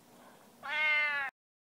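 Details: Cat in a room letting out a single loud, even meow, held for under a second and cut off abruptly, with silence after; a person's voice is heard just before.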